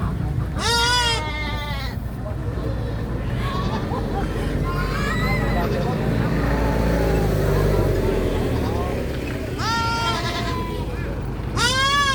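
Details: Goats give loud, shrill, wavering screams near the start and end. Between them come faint, muffled bleats under a heavy low rumble and background noise.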